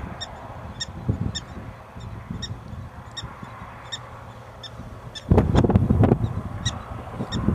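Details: Prairie dogs calling in eastern Montana on August 21, 2007, at a small town: steady series of brief, piercing chirps about every half second, interrupted by a burst of loud low rumbling.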